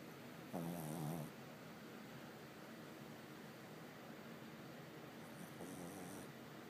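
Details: Sleepy pug snoring in a quiet room, two short, soft rattling snores several seconds apart, the second fainter, separated by near silence.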